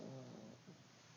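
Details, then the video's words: Pug snoring, a low rumbling snore with a harmonic buzz that fades after about half a second, then a softer second breath near the end; quiet indoor background. "Pug snoring"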